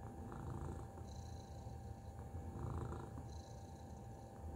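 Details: Tacy, a cat, gives a steady deep purr with gentle swells in loudness roughly every two seconds, faint high whistling tones above and a low hum throughout.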